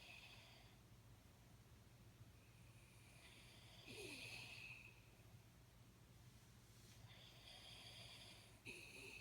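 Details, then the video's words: Sleeping Jack Russell Terrier named Jaxie snoring softly, with breathy, hissing rasps rising and falling every few seconds, one louder wheezy breath near the middle, over a constant low electrical hum. "Jack Russell Sleeping & Jack Russell Snoring"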